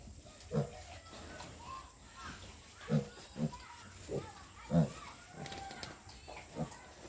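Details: Two-week-old piglets on a pig farm, described as healthy and strong. Short, low grunts come irregularly, about seven in seven seconds, over a steady hissing background.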